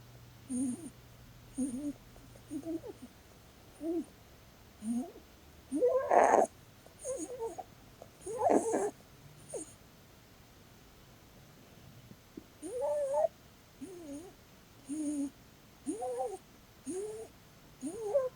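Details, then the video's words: Blueberry, a female Holland Lop rabbit, snores while sleeping during a cuddle: short whistled, rising squeaks repeat roughly every second, with a couple of louder, breathier snorts near the middle and soft hissy breaths between. "Cuddling with a SNORING bunny!"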